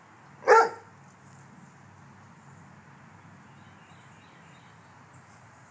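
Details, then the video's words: Single sharp bark from a Rottweiler guarding the home in a backyard protection test, a short loud burst followed by several seconds of low steady background noise. "Rottweiler Home Protection Test"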